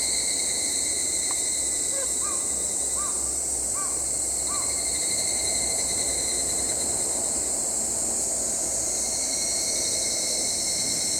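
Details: Evening cicadas (Tanna japonensis) shrill in a high, ringing chorus that runs steadily throughout.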